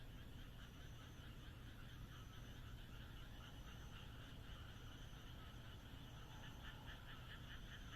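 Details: Frog chorus from the Japanese countryside under the moon: overlapping rapid croaks in stacked bands, growing more distinctly pulsed in the second half, with faint high trills and a continuous low rumble.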